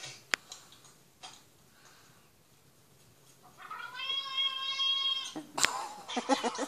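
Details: A single steady, clear cat meow held for about a second and a half after a quiet stretch with a sharp tap, then followed by clicking and rustling noises.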